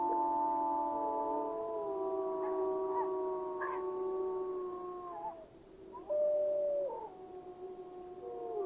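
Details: Gray wolf pack calling in Yellowstone National Park: several long, smooth howls overlap at different pitches, some gliding down, with a brief dip in volume before a fresh higher howl rises near the end.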